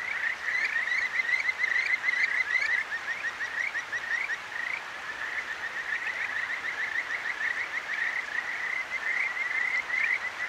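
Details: Night chorus of Kajika frogs at a clear stream in Tokyo's Akigawa Valley, recorded on a ZOOM H6. Clustered, upward-sweeping whistled notes come in uneven bursts, with a brief lull midway, above continuous soft murmuring of the river.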